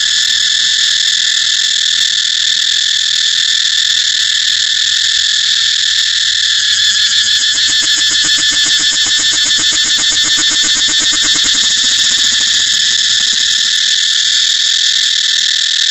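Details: Cicada producing a loud, shrill, continuous buzzing song; a stretch of rapid throbbing pulses builds around the middle then settles back into an even high drone.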